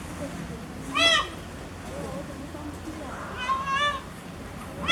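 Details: Frustrated cub-sized giant panda Jin Shuang at Chengdu Panda Breeding Center, unable to climb a wood platform, giving brief harmonic squealing bleats, one sharp, one wavering and longer, a third starting at the end, amid crowd murmur.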